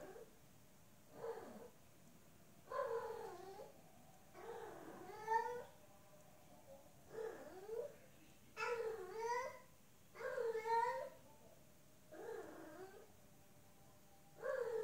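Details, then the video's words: Female cat in heat meowing to a male outside, giving around nine long, bending, whiny yowls at intervals of one to two seconds over a faint steady background hum indoors. "Female cat in heat meowing, mate calling"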